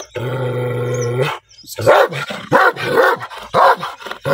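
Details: Angry black dog: a steady, humming, growl-like tone for just over a second, a brief pause, then four or five sharp, loud barks spaced about half a second apart.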